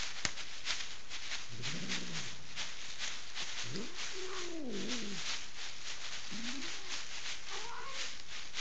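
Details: Angry female house cat in Kitchener, Ontario, Canada, refusing to leave a bed and hostile to a stranger; low rising-and-falling growling moans come in several bursts over hissy background noise.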